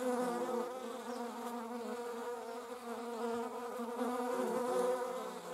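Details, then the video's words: Flying German wasps produce a continuous humming drone, layered tones shifting gently in pitch, with a few faint clicks in the background. "German wasps - slomo flight show. Deutsche Wespen Zeitlupen Flugschau"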